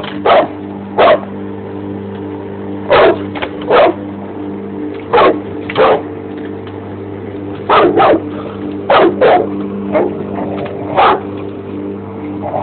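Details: Short, forceful barks from a Bandog Mastiff reacting to a lawn mower come in single and paired bursts every second or two, over the constant droning engine.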